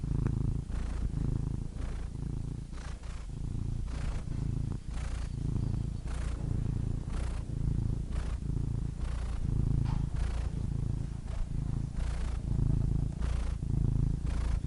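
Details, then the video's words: Domestic cat purring steadily and close, a deep low rumble pulsing with each breath in and out, about every second, with soft breathy hiss between phases; no other sounds. "Soothing Cat Purr Sound Effect"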